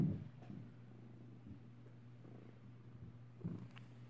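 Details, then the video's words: A sleeping cat snoring indoors: soft, low rasping breaths with a steady low hum beneath, a louder snort at the start and another about three and a half seconds in. "Cat snore"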